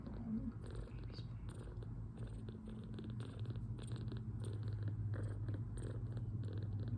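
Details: Milk-drunk two-week-old foster kitten relaxing after a feed while recovering from poor health, giving a continuous low purr that swells slightly toward the end, with small clicks and rustling nearby.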